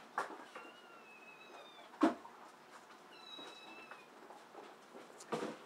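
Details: Abyssinian mix rescued kitten giving faint, thin, high-pitched mews, two drawn-out slightly wavering calls near the start and middle, with soft knocks and clicks of handling in a quiet indoor room.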